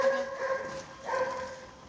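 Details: Dobermann puppies from a kennel's L and M litters give two drawn-out, steady-pitched whimpering whines, the second starting about a second after the first, with no other clear sounds.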